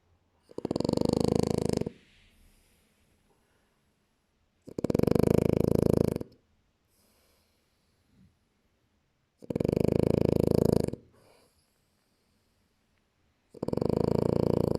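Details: A French Bulldog snores in long, loud, rasping breaths, each lasting over a second, repeated about every four to five seconds with quiet gaps between.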